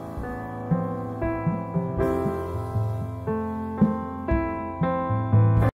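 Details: Gentle keyboard music plays in steady chords, with no animal voices present. Soft piano-like tones change about twice a second over a low sustained bass.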